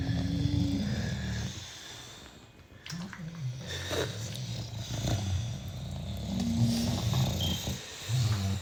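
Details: Low, ragged snoring from six British Bulldogs asleep, uneven rumbling breaths rising and falling with brief quieter gaps, plus faint snuffling and a few higher wheezy squeaks.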